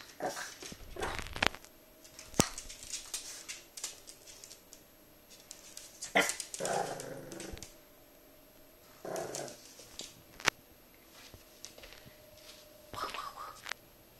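A French Bulldog puppy gives short, rough growls and yelps in scattered bursts, frightened of a brush.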